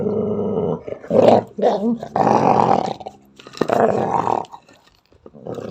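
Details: Unprovoked angry growling from a female Belgian Malinois indoors: choppy, snarling growl bursts with short gaps and quiet stretches between them, harsher and louder around one, two and four seconds.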